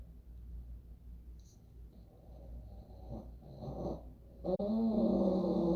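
An English Bulldog snores, starting with soft, breathy rasps on each breath. The sound then builds into a loud, throaty, vibrating snore with a deep buzzing tone.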